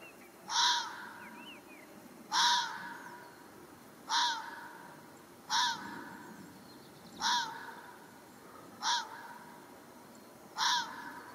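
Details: A fox in Pays-d'Enhaut, Vaud, Switzerland, gives short, harsh, hoarse barks roughly every two seconds on seeing a person.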